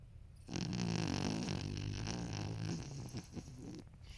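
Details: A 13-year-old male toy poodle named Marron snores while sleeping indoors. One sustained, deep, growling snore rattles for about three seconds, then fades into soft snuffles and quiet room noise.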